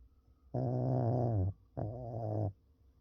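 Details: Pekingese dog snoring in its sleep, two rough, low, droning snores in quick succession, the first about a second long and the second slightly shorter, with a quiet room behind.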